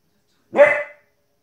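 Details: A 15-week-old female Border Collie puppy gives one short, bright, harmonic bark at animals on TV, lasting under half a second, followed by silence.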